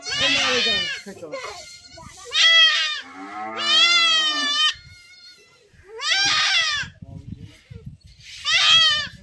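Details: Goat bleating during castration with a blade in a village, giving long quavering cries, one drawn-out wavering call in the middle, with low voices and rustling between bleats.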